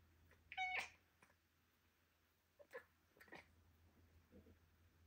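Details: British Shorthair cat, a young indoor pet born in 2023, chirping while playing with a laser light: a short bright trilled chirp near the start, then a few fainter soft chirps scattered through a quiet room.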